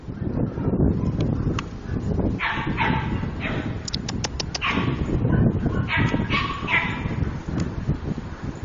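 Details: A cute puppy gives short, bright yips and whimpers in clusters of harmonic bursts, mostly in the middle and later seconds, over a steady low rumble with handling noise and a person's voice nearby.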